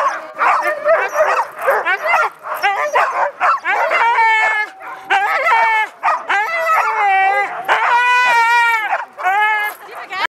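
A Siberian Husky 'talks' in a run of bending, yodel-like whines and short woo-woo sounds.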